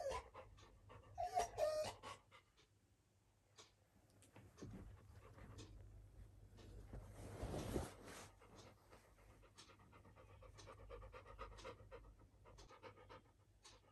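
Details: Little John, a Labrador puppy inside a bedroom, cries for the air conditioning. A brief high whine opens the recording, followed by soft, uneven panting and breathing over a faint steady hum.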